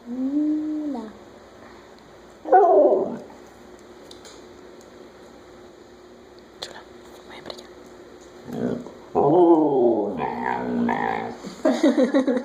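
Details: Pet Siberian Husky burping and making a talking, "hola"-like sound: drawn-out harmonic moaning yowls, one near the start, one short burst, then a longer wavering run near the end, with a woman speaking Spanish in between.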